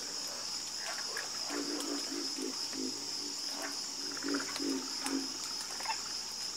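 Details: Frogs croaking in a nocturnal chorus: groups of short, low, rattling croaks rise and pause, accompanied by a constant high, buzzing background drone.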